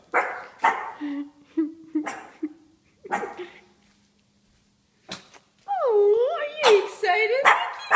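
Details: Mickey, a 4-month-old Shih Tzu puppy, reacts to a statue it takes for a real man. A woman talks first, then the puppy gives a run of high, wavering, harmonic whines and yelps that rise and fall over the last seconds.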